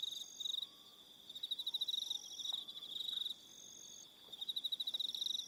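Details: On Aroha Island, New Zealand, evening crickets give short bursts of quick, sharp, high-pitched pulses separated by gaps of about half a second, several insects layered together, faint low whistles in the background.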